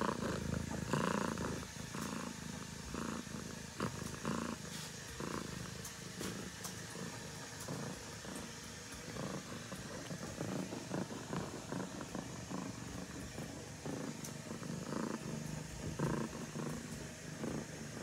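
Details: Baby kitten Sasha resting beside ducklings after they jump up to sleep with her; a continuous low rumbling purr runs throughout with scattered soft knocks and rustles.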